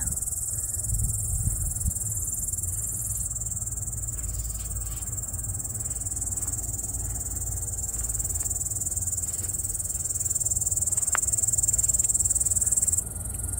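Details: Cricket chirping loudly at a summer cottage in late August, a dense, high, continuous pulsing trill held steady throughout, swelling louder near the end with faint low rumble beneath.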